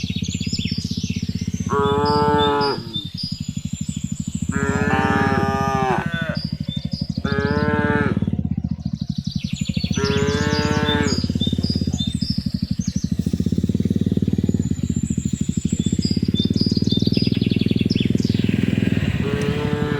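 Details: Village cattle driven home to their pen in the afternoon, mooing to call the herd: four loud, rich, drawn-out lows spaced a few seconds apart, over constant low droning background noise.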